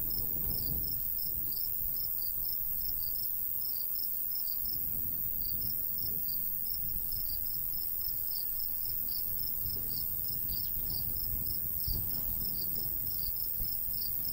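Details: Countryside crickets in summer, a golden wheat field, keep up rapid high chirping pulses throughout, while a light breeze gusts in low, swelling waves.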